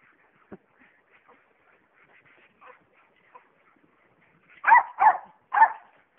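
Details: Playing tetherball, Jack Russell Terriers let out three loud, sharp barks in quick succession after a stretch of faint thuds and quiet sounds.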